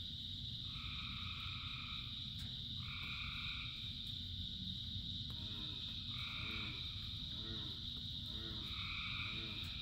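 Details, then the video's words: Frogs singing during rain in a large chorus. Paired tonal notes lasting about a second repeat several times. Later, lower, rapidly pulsed croaks join in short bursts. All of it rides over a steady high drone and continuous rain noise. "Frogs in Rain 2 Hours of Frogs, Thousands of Frogs Singing"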